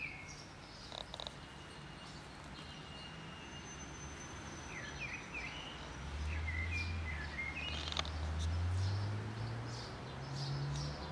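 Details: Affectionate cat approaching outdoors, its low, steady purring rumble swelling through the second half in long even waves, while birds chirp and twitter thinly overhead.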